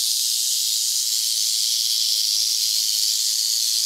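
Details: Close-up at a Montana rattlesnake den: an even, sizzling rattle hisses on steadily from start to finish with no pauses and no other clear sounds.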